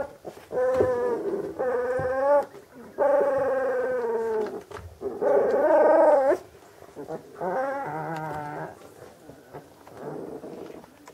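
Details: Magyar Vizsla, a hunting dog breed from old working lines, giving a run of drawn-out tonal whining howls of about a second each, with wavering, bending pitch and short pauses between bursts, the last ones fainter.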